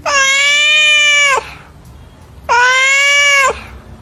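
Two drawn-out, moaning yowls from a domestic cat, each held steady for over a second and dipping slightly as it ends. The yowl signals worry, discomfort, territorial concern or mating issues.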